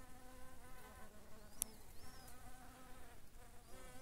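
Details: A shrill carder bee, said to be identifiable by its voice and fairly rare, gives a steady, rich buzz, a continuous droning hum with a slightly shrill edge.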